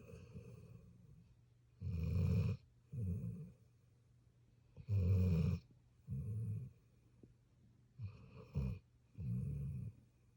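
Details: A puppy asleep and snoring: low, throaty rasps in paired inhale-exhale bursts, each pair following the last every two to three seconds, with near silence between.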